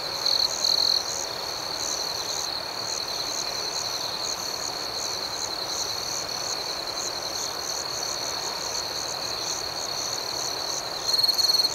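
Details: Nighttime crickets keep up an unbroken high-pitched trill over a soft hiss, with quick regular pulses; short louder chirp bursts open and close the stretch.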